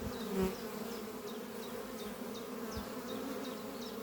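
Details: Worker honey bees flying in and out of the Doppio hive beneath trees on a spring morning; an even, low buzzing drone with one nearer swell early on, and faint repeated high chirps above.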